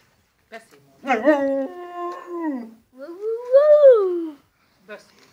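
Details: Molly, a husky dog, indoors in a quiet room, gives two drawn-out howling yowls: the first holds steady and then falls, the second rises and then sinks away. Soft short noises come before and after.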